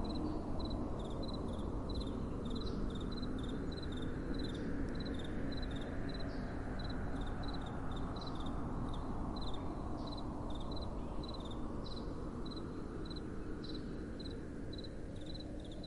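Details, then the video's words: Crickets at night in soft wind. High, short chirps repeat steadily at close to three per second, with a few fainter callers behind, over a continuous low wind rush. "Relaxing Night Time Sounds | Crickets & Soft Wind"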